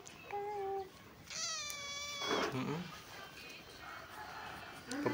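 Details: Tejo, a pet cat, gives one drawn-out meow of about a second with a clear, slightly falling tone. Indonesian speech comes before and after it, and faint music plays in the background.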